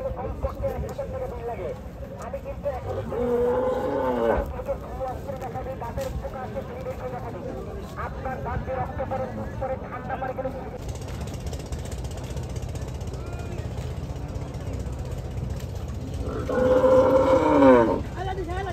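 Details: Bulls being unloaded at Hazratpur cattle market ahead of Eid in Bangladesh; two loud, drawn-out harmonic moos near the start and end, over a constant rumble of engines, clatter and people talking.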